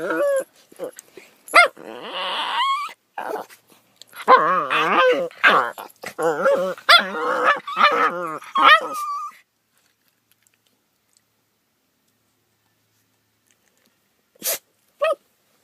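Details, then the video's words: Two pet dogs making weird morning noises: a dense stretch of wobbling, moaning whines and yips for about nine seconds, ending in a steady high whine, then near silence with two brief sharp sounds. "Riley & Oscar Make Weird Noises"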